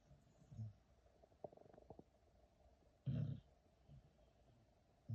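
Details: Teddy, one of two sleeping dogs, snores like a grown man. Low, rumbling snore bursts come about every two and a half seconds, with a few soft clicks between them in a quiet room.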